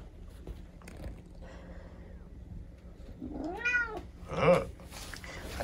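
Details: Rescued kitten with an injured leg from an accident, seeing its owner off to work in the morning, gives two short, bent, whining meows near the end, over faint indoor background noise.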